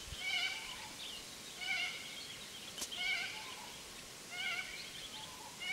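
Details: Feral goats bleating in a recurring chorus, wavering harmonic cries repeating about every 1.3 seconds at moderate distance, with a single sharp click near the middle and a steady background hiss.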